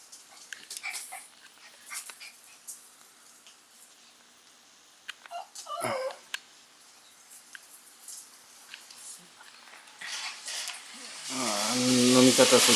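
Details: Shiba Inu puppy named Sora playing alone indoors; a few short whimpering squeaks sliding downward near the middle, soft rustling and handling noises throughout, a man speaking Japanese, and a loud hissing rush at the end.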